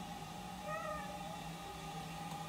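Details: Domestic pet cat in a home in Lithia Springs, Georgia, USA, on August 17, 2019, around the toilet it likes to watch flush. A single short meow with a brief rising-then-falling tone, over a steady mechanical hum.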